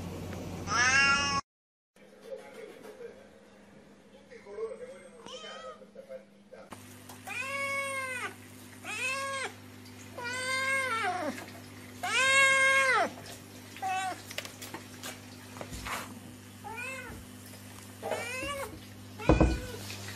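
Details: Cats meowing without pause: a burst of sharp meows, then a quieter stretch with soft low murmurs and a steady electrical hum, followed by a rapid run of arched, wavering meows and a final loud squeal.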